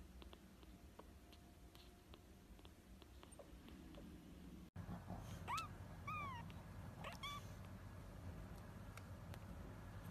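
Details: Newborn kittens trying to open their eyes for the first time, one giving a pair of thin, high, arching mews in the middle, with soft clicks and low room hum around them.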